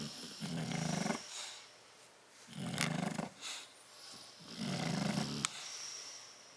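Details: Bulldogs Tyson and Tyra sleeping together in their crate on 10/30/12, giving three long, rough, throaty snores separated by soft pauses, with a faint click near the end.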